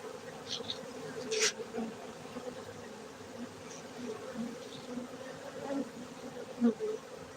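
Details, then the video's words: Honey bees at an apiary in Bener Meriah, Gayo, Aceh, Indonesia: a steady low droning hum of many wings, with brief louder passes of individual bees close by. "Markaz lebah madu gayo Aceh Indonesia bener meriah"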